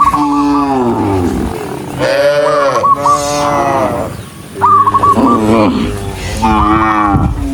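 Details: Mooing from a herd of dozens of cows running along a rural road: four loud, drawn-out calls that slide downward, each with a short, high chirping flourish near its start.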